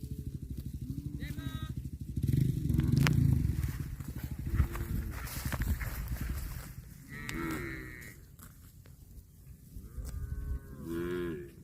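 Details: Cattle grazing on grass, with several low drawn-out moos, some with rising-falling harmonic tones, heard among chewing and rustling; low rumbling background noise throughout.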